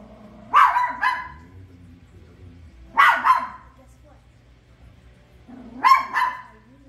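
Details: Toy poodle reacting to The Lion King with paired, quickly doubled barks, three bursts over seven seconds, over a quiet background hum from the film.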